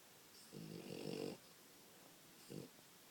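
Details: Sleeping French Bulldog puppy snoring: one long, rough, rumbling snore lasting nearly a second, then a shorter snort a second later, in a quiet room.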